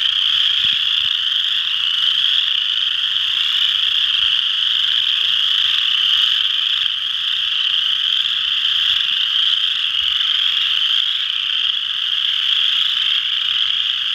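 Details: A dense chorus of western chorus frogs (Pseudacris triseriata) at Ojibway Park, Windsor, Ontario, their high rasping trills blending into one unbroken, shimmering drone.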